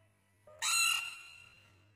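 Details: A baby rain frog gives a single harsh, high-pitched squeak that bursts out suddenly and fades within half a second.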